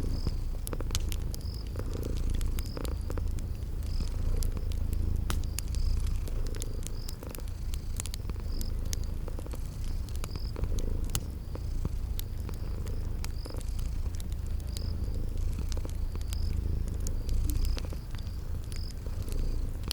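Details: Purring of sleeping cats in a cozy spring garden scene beside a fireplace, a continuous deep throbbing rumble with gently pulsing strength, overlaid by frequent fire pops and regular high insect chirps.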